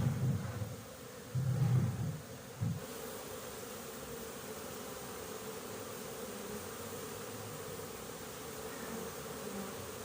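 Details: Low, continuous droning of honey bees at a bee farm, 20 January 2021; loud rumbling bursts, probably close fly-pasts, open the stretch before a steady hum settles in.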